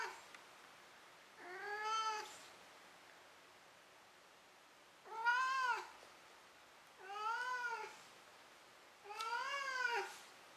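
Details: Maru the cat, tired after running about and catching a toy, gives four short arched meows at uneven intervals in a quiet room before settling down to sleep.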